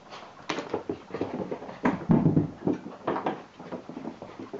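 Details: Irish Water Spaniel puppy named Cassie going wild indoors, giving rough, rapid grunting huffs and short whimpers in uneven bursts several times a second, with scuffling and thumps in a small room.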